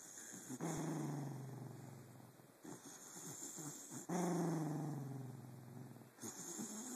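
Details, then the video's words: Sleeping pet dog Jake, recorded on a phone in the dark, makes long, low, tonal growling moans in two drawn-out bouts separated by a short breath, with a faint hissy background. "Jake snoring, barking, and motorboating"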